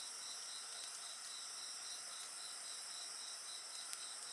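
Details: Insects singing at a bonfire: a steady high chorus with a pulsed chirping trill repeating rapidly, several layered high tones, and a single fire crackle near the end.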